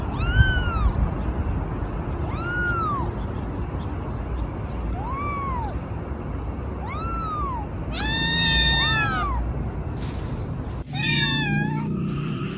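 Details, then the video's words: Kitten meowing: thin, high arched mews repeated about every two seconds over a steady hiss, then a louder, overlapping cluster of cries and a sharp, scratchy sound near the end. "Kittens meowing - funny cat sounds"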